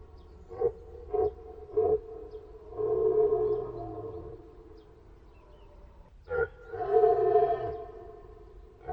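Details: Three short, clipped deer calls at even intervals, followed by a longer sustained harmonic call, a pause, one more brief note, and a final drawn-out call.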